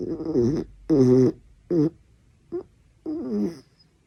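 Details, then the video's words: Dachshund snoring during sleep, loud enough to wake someone: five voiced, nasal rumbling bursts in about four seconds, each with a wavering tone, separated by short quiet gaps, indoors. "강아지코골이 닥스훈트"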